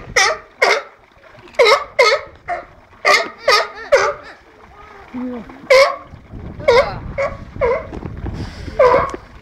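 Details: Sea lions barking at the National Seal Sanctuary in Cornwall on 24 March 2010; the enclosure holds Patagonian sea lions Diego and Noito and Californian sea lion André. Harsh, honking barks come in pairs and short runs, with a gap midway and splashing water near the end.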